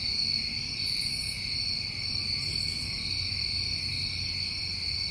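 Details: A summertime cricket chorus in New England, continuous high-pitched trilling that never breaks, layered in two steady tones, with faint sparkling higher bursts and a quiet low background hum.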